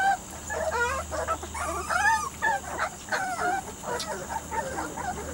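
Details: Biscuit's Weimaraner and Vizsla cross puppies, three to four weeks old, producing clear wavering whines and squeaky yelps, several pups overlapping in quick succession.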